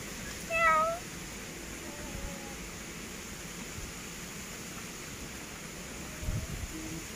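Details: Grey pet cat giving a single clear meow near the start, harmonic and slightly falling, followed by a faint second mew and low household rumble.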